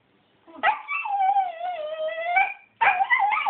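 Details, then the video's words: A pet dog named Coby, wanting to go swimming, gives one long, sustained whining howl that wavers slightly and dips in pitch, then breaks off briefly before a second rising, warbling burst. "Who wants to go swimming? Dog says "I wanna"!"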